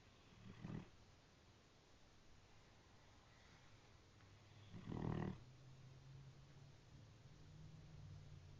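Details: Sleeping brindle Great Dane, its snoring likened to a train: two short, low, rasping snores about four seconds apart, the second louder, with a steady low hum and soft breathing between them.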